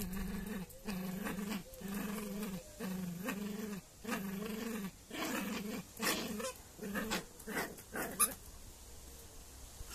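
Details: Indoor Jack Russell puppy wrestling a toy elephant, giving a run of low, pulsing growls roughly every second, turning into shorter, choppier snarls and scuffling toward the end.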